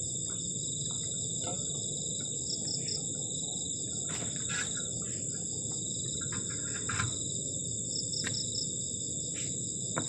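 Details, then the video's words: On a cold night at a forest-edge garden shelter, crickets keep up a continuous thin, high ringing trill over a low background rumble, with occasional brief taps and rustles. "ENJOYING THE SOUND OF CRICKETS ON A COLD NIGHT"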